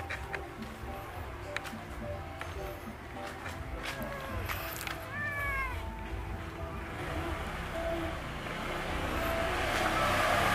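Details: Orange domestic cat giving a brief, faint meow midway, a short arched tone bending up then down, a few softer mews around it, over steady background noise and music-like hum that grows louder toward the end.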